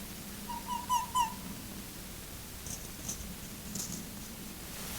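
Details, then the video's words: A red fox on a trail camera in woodland, filmed between late February and March during the mating season, gives a brief, strained whining call with a couple of sharper yelps. The filmer suspects it is a male calling to attract a female. "Renard roux qui fait de drôles de sons/Red Fox making strange sounds"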